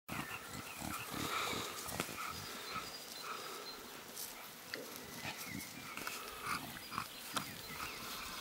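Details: Six-week-old Staffordshire Bull Terrier puppies, socialising with adult dogs, give short, high squealing whines and yelps that overlap in a busy chorus.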